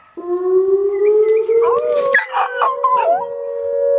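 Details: Dog howling in reaction to tornado sirens: a long, steady tone rising slowly in pitch, then breaking into wavering, quavering cries midway, with a siren-like hum sustained underneath.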